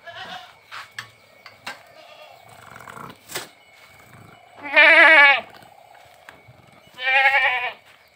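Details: On a village farm holding Boer goats crossed with Sirohi goats, scattered clicks and knocks lead into two short, quavering bleats near the end, spaced about two seconds apart.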